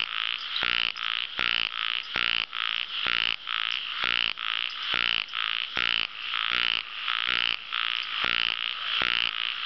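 An ornamented pygmy frog gives rapid rasping notes, repeated several times a second in a steady series.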